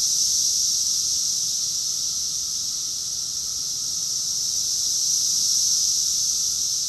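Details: Chorus of cicadas in Rockville, Maryland, in June 2021, producing a steady, piercing high-pitched drone that barely dips in the middle before returning to full strength.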